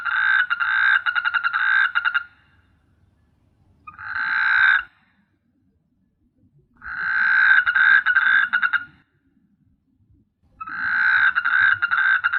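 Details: Night chorus of frogs on S.Hulhumeedhoo, Maldives: rapid pulsed, buzzy croak bouts lasting one to two seconds, repeated about every three seconds, with short shorter bursts between them and quiet gaps.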